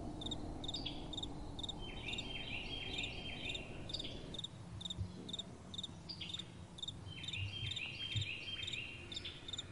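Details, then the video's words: Crickets chirp at night in rapid high pulses, joined by other thin, sliding insect-like calls, with soft wind rumbling low beneath them. "Crickets & Soft Wind"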